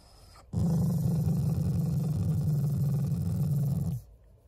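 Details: Shiba Inu, an affectionate family pet, producing a non-angry growl: one steady, deep, rumbling growl lasting about three and a half seconds with a rapid rattling texture, ending abruptly.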